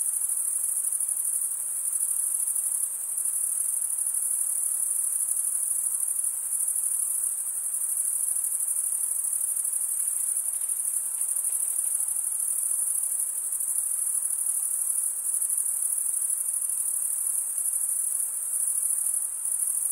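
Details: Male crickets stridulate in a seamless, high, ringing trill lasting the full twenty seconds, even and unbroken apart from tiny dips in loudness; no other animals or noises.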